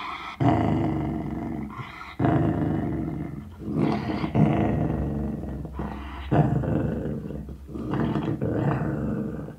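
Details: Indoors, a Sealyham Terrier guards a bone with deep, throaty growls, steady rumbling phrases of about two seconds each, repeated with short intakes of breath between.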